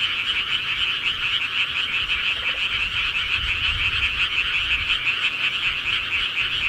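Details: Frogs calling at night in the countryside, a dense unbroken chorus of rapid pulsed croaks that merge into a steady high trilling wall, with faint low rumble underneath.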